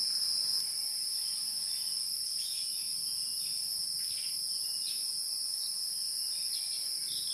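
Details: Steady high buzzing of wild insects fills the whole stretch, broken by brief faint chirps and ticks scattered throughout.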